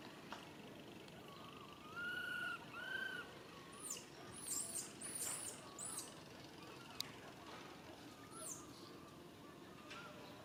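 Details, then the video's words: Baby monkey named Rain calling its mother Rany for help: two clear whistled cries, each rising then falling, around two to three seconds in, with softer wavering cries later and thin high squeaks over a constant outdoor hiss. "Po-or baby monkey RAIN calling mom RANY to helps but can't."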